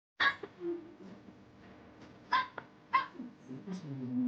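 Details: A black dog gives short, sharp barks at the start and in two later bursts, with lower, wavering voice-like sounds between that seem to mimic human talking.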